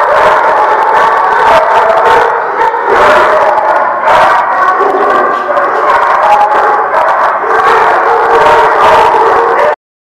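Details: Dogs at The Barking Lot on 1/9/17 keep up a loud, sustained group howl. Many tones waver and overlap in an unbroken chorus, which stops abruptly near the end.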